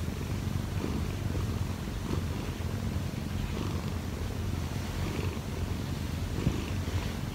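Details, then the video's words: Pet Munchkin cat Kkobugi, 1 year 4 months old with odd eyes, storm-kneading atop its owner to wake her; continuous low throaty purring, rhythmic and unbroken, with light rustling of fabric now and then. "엄마 위에서 꾹꾹이 골골이 하는 꼬부기"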